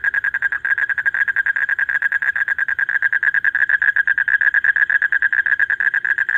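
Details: Male common toad (kuno bang) calling continuously to draw a mate during breeding season, deep in the night: an unbroken rapid pulsed trill at steady mid pitch, roughly ten pulses per second, with no other sounds.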